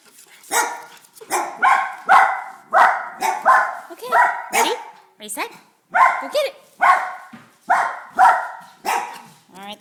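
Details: Dachshund barking indoors, a run of about a dozen sharp, harsh barks spaced roughly every three-quarters of a second, loud and fairly even in strength, with a person's voice in the room.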